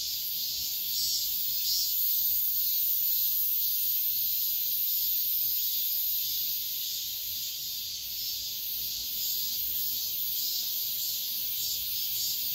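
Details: Cicadas at daybreak in midsummer produce a sustained, sizzling high drone that wavers in intensity, slightly louder in the first seconds, without pauses or other noticeable sounds.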